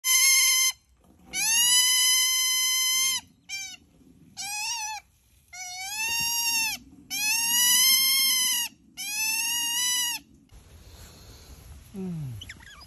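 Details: Otter named Tipo, kept in a house alongside dogs, giving long, loud, steady squealing calls. Each lasts one to two seconds and is rich in harmonics. Several are separated by short pauses, with brief chirps between them and quiet background noise at the end.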